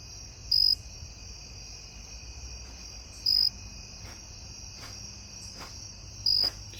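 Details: A cricket on a back step gives short, shrill chirps about every three seconds over a steady high insect hum, and stops when disturbed.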